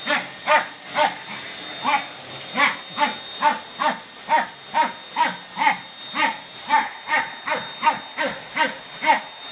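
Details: Fox terrier named Rek barking at a Samsung vacuum cleaner indoors, sharp barks repeated about twice per second in a steady, insistent run over the machine's constant high whine.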